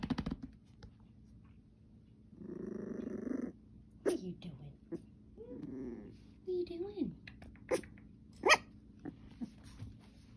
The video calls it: Tough little Mini Goldendoodle puppy growling too cute not to share